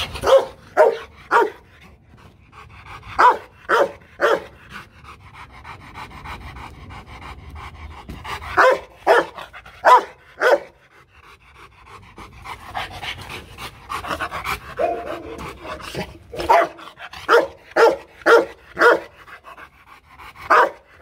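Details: Loki, a Rottweiler champion of Vietnam from the Rottweiler Gervi kennel in Hanoi, gives deep, loud warning barks, only a playful threat rather than an attack bark, in bursts of two to four, with panting and faint noise between.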